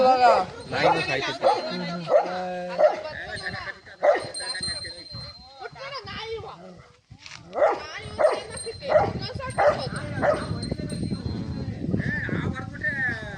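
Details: Rottweiler battling a cobra that struck it on the mouth; bursts of rapid barking, a pause, then another run of barks, with men speaking and noise throughout.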